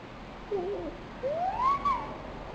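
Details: Nine-month-old pet dog crying out of loneliness, February 12, 2007: a short low wavering whimper, then a longer clear whine that rises, peaks and falls away over faint steady hiss.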